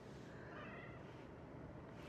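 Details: A male domestic cat, not usually talkative, gives a soft, drawn-out meow that rises then falls while being petted, against a low background hum; owners unsure whether he is protesting or enjoying it.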